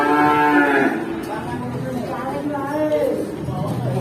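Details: Agitated, aggressive cow on an Indonesian livestock farm lows loudly in a strong harmonic moo at the start, followed by quieter bellowing mixed with a man's continuous speech.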